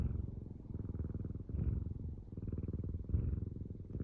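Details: Close-up domestic cat purring: a low, steady rumbling purr that throbs continuously in quick even pulses. Soft breathing swells rise about every second and a half.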